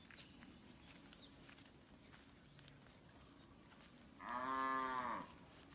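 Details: Free-roaming village cattle gathered in a wide green rice field, eating grass. A quiet stretch with faint high bird-like chirps gives way to one strong, rich, drawn-out moo lasting about a second that swells and then fades.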